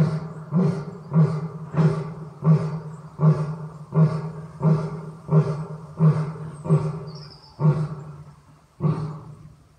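A lion gives a series of deep, throaty grunting roars, each pulse coming under a second apart.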